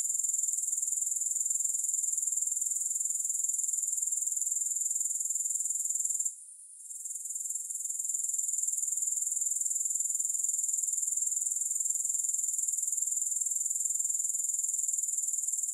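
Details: Steady, high-pitched grasshopper chorus of fast, even pulses, broken by one short quiet gap partway through, then rising smoothly back to a constant level; no music present.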